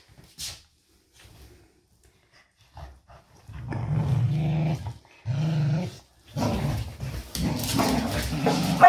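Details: Pet dogs Doby and Blue tussle over a toy wrapped in an old blanket during an indoor play game; deep sustained growling in long stretches, rising into rougher, louder growls near the end, with a woman cheering them on.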